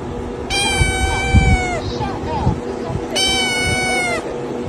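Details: Cat giving two long, even meows about three seconds apart, each steady in pitch and slightly falling at the end, over a steady background hum with some faint noise.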